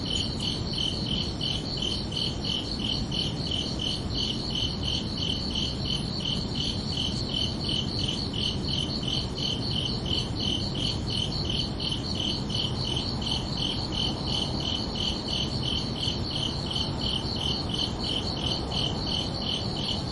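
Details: Evening crickets sing a long unbroken series of shrill, evenly spaced chirps at nearly three per second, two stacked tones clearly visible, with a constant muffled low rumble beneath throughout.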